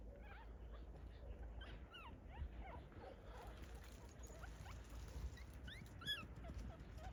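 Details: Several puppies from a litter living in a family orchard whimper constantly, a busy overlapping stream of short high rising and falling squeaks and whines, some sharper yips, over low background rumble.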